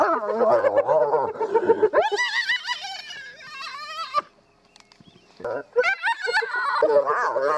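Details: Spotted hyenas at their den in Kruger National Park, South Africa, as the rest of the family returns to a mother and cubs. Dense overlapping wavering squeals and high whining cries, a brief near-silent gap, then more chattering squeals.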